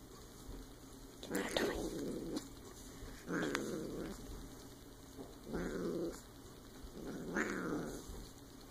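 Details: A silver Bengal kitten named Rio growls in low, rumbling bursts of about a second each, with pauses between, while playing with a toy as a person urges it to fetch.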